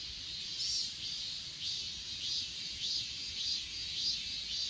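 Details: Achasan mountain insect chorus: bright rhythmic chirp bursts roughly every half second to second, set over a continuous thin high hiss.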